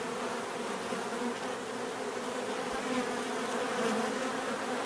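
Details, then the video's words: Steady swarm of bees buzzing naturally, a thick low hum layered with a higher hiss, occasional brighter individual bees passing close around three to four seconds, level holding constant throughout. "bees therapy relaxing natural buzzing sound"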